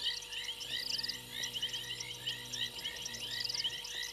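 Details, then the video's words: Chorus of frogs on a fallen tree limb at Gowrie dam waterhole, Djuma Game Reserve, Sabi Sand Wildtuin, South Africa, January, at night: dense overlapping chirps and trills in many voices, with a steady low hum beneath. "Frogs on fallen tree limb"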